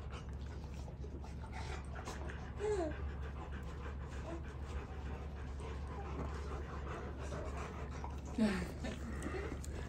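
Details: On a ranch in the morning, a Rottweiler greeting and waking a baby pants steadily, with a couple of brief whimpering sounds over a low hum.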